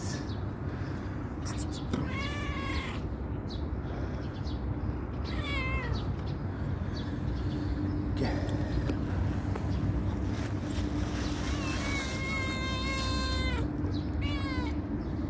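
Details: Calico cat approaching when called, one of the homeless cats being fed; several meows spread over the stretch, short and falling early on, a long level meow near the end, with a woman's voice and a constant low hum.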